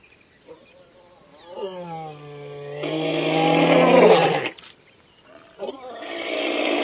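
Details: Lion roaring while lying down, stated not to signal distress: a low, steady groaning tone swelling into a loud, rough, harmonic-rich roar lasting about two seconds, then a second roar beginning near the end.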